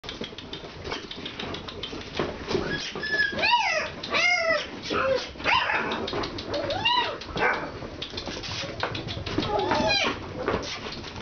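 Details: Several Alaskan Malamute puppies on their first time outside, giving overlapping high arched whining howls that rise and fall, in short bursts through the clip, with rustling and some human voices in the background.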